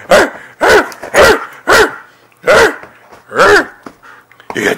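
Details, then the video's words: Siberian Husky having zoomies on a bed: six rich, arched woo-like calls, each rising then falling, spaced about half a second to a second apart, with a faint final yip. "Siberian Husky Freya Goes Crazy With Zoomies On Bed!"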